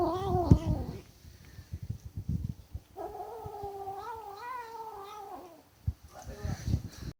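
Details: Food-guarding kitten: a short falling yowl with thuds at the start, scuffling sounds, then a steady, warbling, drawn-out growl lasting over two seconds before fading into more knocking.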